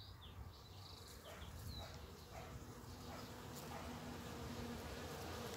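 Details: One of the first bumblebees of early spring, among snowdrops and primroses as nature wakes: a low, steady droning hum that swells gently, with thin high bird chirps scattered above.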